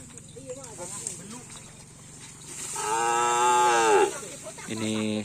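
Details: Cattle at Karapan Sapi bull race training during Ramadan at the Asemanis field. A loud, drawn-out moo lasts about a second, followed by a shorter second moo, over engine-like hum and faint voices.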